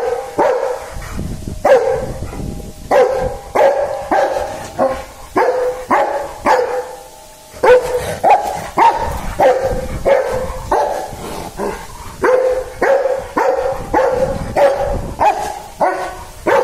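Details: Barking dog in a long, insistent run of rapid barks, about one and a half per second, with uneven spacing and brief pauses between volleys. Some barks carry a slightly strained, ringing tone.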